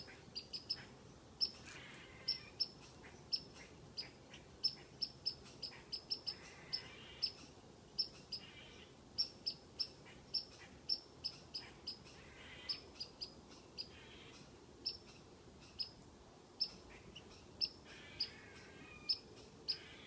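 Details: Squirrel on a tree taunting a cat with repeated high whistles: short, sharp chirps in uneven bursts and pairs, sustained across a long run, with light background noise.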